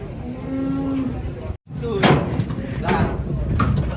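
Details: A single fat cow's sustained, even moo lasts about a second, then a brief dropout gives way to sharp knocks and clattering noises.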